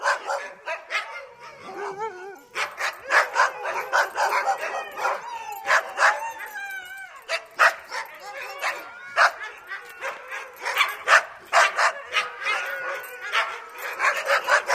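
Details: Several dogs barking at the gate, with some howling; dense overlapping barks and yelps in quick irregular bursts, a few whining rising tones between them, continuing without pause.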